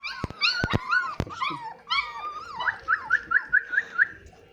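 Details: Drahthaar puppies, about one month old, at feeding time with meat and rice: overlapping high whines and yelps with falling and wavering pitch, ending in a rapid series of short squeaky yips, with a few clicks and knocks.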